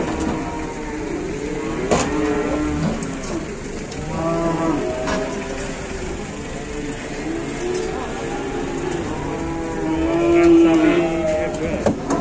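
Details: Cattle pinched while trying to get down from a truck, lowing in a series of drawn-out, harmonic moos through the clip, the loudest near the end, with people talking and vehicle rumble behind.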